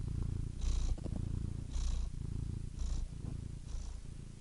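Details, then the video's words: Domestic cat purring: a steady, low, throbbing rumble that swells slightly roughly once a second with each breath, with a faint airy hiss on the louder phases and nothing else audible. "purring cat"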